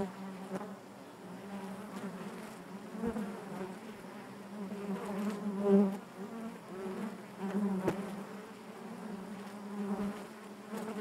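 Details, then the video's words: Steady collective buzzing of honey bees within the hive, a low harmonic hum that thickens into louder swells, with occasional faint clicks cutting through. "bees therapy hive natural buzzing sound"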